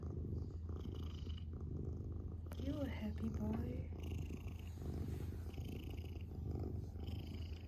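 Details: Adopted pet cat purring: a steady, deep low rumble throughout, with a brief tonal voice-like sound around the middle and faint higher hiss.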